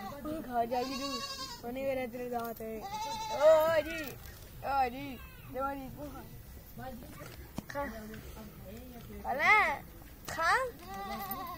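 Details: Young goat kids playing with a child, giving a series of short wavering bleats, one rising into a louder quavering cry near the end, with a child's voice talking between the calls.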